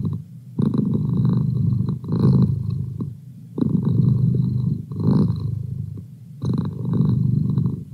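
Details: Purring from a male domestic pet cat: a rough, low vibrating drone that rises in strong bursts and drops between breaths, about every one and a half seconds.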